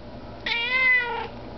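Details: Russian Blue cat asking for food indoors: one clear, drawn-out meow lasting nearly a second, steady then slightly falling at the end, while its owner speaks to it in French just before and after.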